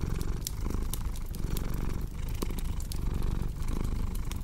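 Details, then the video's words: Pet cat purring in a steady low drone with rhythmic rises and falls, mixed with crisp crackles from a cozy fireplace. "Purring Cat with Cozy Crackling Fireplace Sound"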